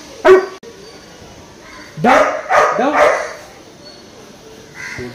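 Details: Labrador Retriever puppy during obedience training: a sharp bark near the start, then a burst of three or four rising, yelping barks around two to three seconds, with a trainer giving spoken commands such as down and stand.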